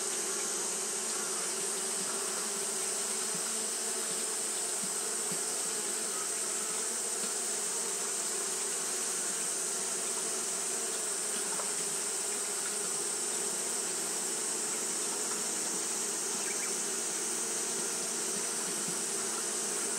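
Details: A long, unvarying hum from Japanese honey bees fanning throughout a hot day, the low drone and rushing hiss blending into one continuous buzz, with only faint brief ticks rising above it.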